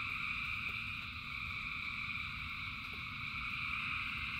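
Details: Frogs calling en masse during rain: an unbroken, shimmering wall of high trilled croaks from countless animals, with a rumbling wash of rain beneath and a couple of soft ticks.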